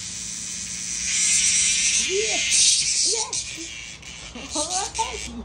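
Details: Cicada in Japan, caught up in an encounter with a playful cat, giving a loud, steady high-pitched buzz that pulses slightly, with several short arching voice-like calls rising and falling beneath it.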